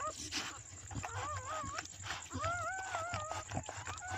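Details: Around a black Chow Chow's birth, softer wavering whines rise out of rustling and handling noise, two or three sliding cries in the second half, with a faint constant high tone throughout.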